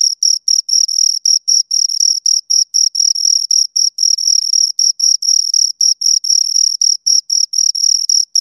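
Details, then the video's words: Crickets, two of them, chirping right by the microphone: a high, metallic, rhythmic trill of short pulses around four per second, steady throughout with no background sounds. "Two Crickets Chirp Sounds"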